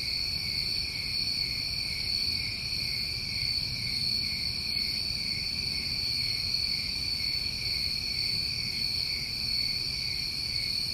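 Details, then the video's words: Steady New England summer cricket chorus, a shrill continuous double-layered trill with no gaps, backed by soft low-frequency rumble. "Tinnitus Masking With Crickets"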